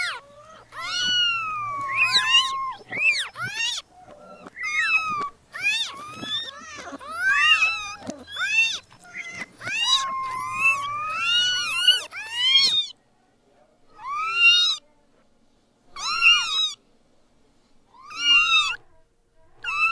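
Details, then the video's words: Newborn kittens mewing in a busy stream of short, high, arched cries, densely overlapping for about twelve seconds, then thinning to four separate mews spaced roughly two seconds apart. "Meowing Sound Compilation 2023 | Listen Cute Newborn Kittens"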